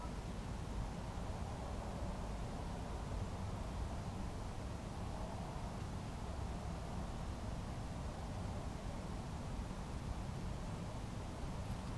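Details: Only a steady low rumble, like wind or distant traffic, is heard throughout, with no animal calls.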